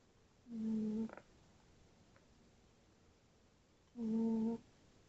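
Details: Tootsie the tabby cat asleep and snoring. Two long, steady humming snores with a reedy, tonal edge, each lasting over half a second and spaced about three and a half seconds apart. A soft click follows the first.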